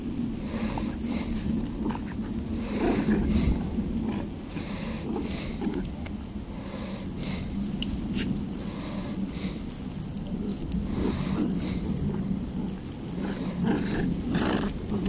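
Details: Copper the Beagle and Angel the Miniature Long Haired Dachshund, pets playing tug of war indoors: a steady low rumbling growl runs throughout, swelling and easing with the pulling, with snuffles and faint rustling.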